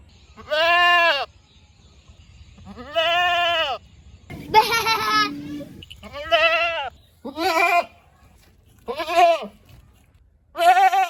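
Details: Goats giving a string of seven bleats over about eleven seconds, each a nasal, arched baa of around half a second to a second, some harsher and strained, with a brief steady low tone mid-sequence and faint background rumble.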